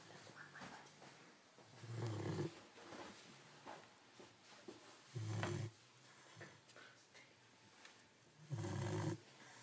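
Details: Cane Corso puppy asleep, snoring deep and rumbling, one loud snore about every three seconds with quieter breathy rasps between, indoors.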